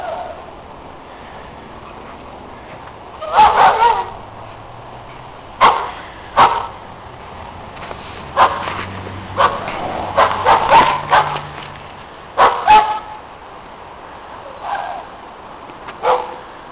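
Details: Neighbours' dogs barking loudly during snowy play, with sharp barks in scattered clusters, some doubled, separated by quiet gaps across the recording.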